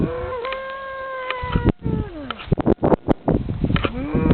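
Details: Cow in France answering a man who calls cattle; a loud steady moo with a brief upward step, then a descending moan, sharp clicks and knocks, and another rising moo at the end.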